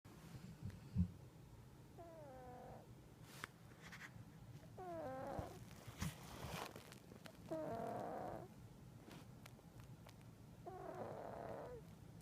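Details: Sleeping pet cat snoring indoors: soft breathy rasps with faint squeaky, whistling tones at each breath, roughly every three seconds, over a low steady hum.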